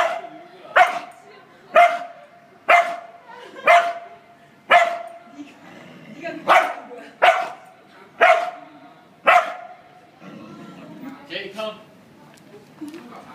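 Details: Female dog barking at herself in a mirror, about nine loud, even barks roughly once a second, then softer scattered sounds and quiet background speech.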